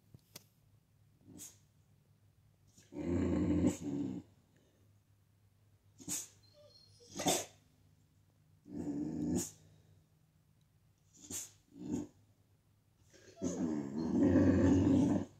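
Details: American Bully reacting to its own reflection indoors: short bursts of low rumbling growls and sharp barks, with quiet gaps and a few brief clicks between.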